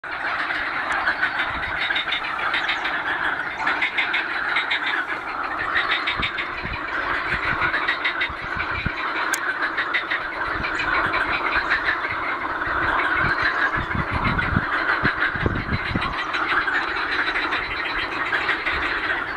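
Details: Frogs or toads in great numbers at Ohrid, North Macedonia, by the lake: a thick, unbroken croaking chorus of many overlapping voices, steady in loudness throughout, with a faint low rumble underneath.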